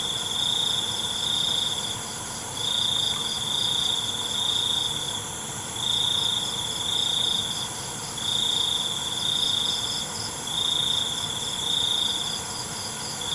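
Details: Crickets chirping at night: a bright, high trilling pulse swells and fades in bursts roughly every two seconds over a steady shimmering drone of other high-pitched insects, with a faint low rumble beneath.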